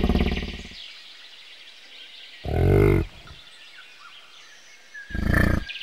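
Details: Bison giving three deep, harmonic grunting bellows, each under a second long and spaced about two seconds apart, with faint birdsong chirping in the background of an outdoor setting.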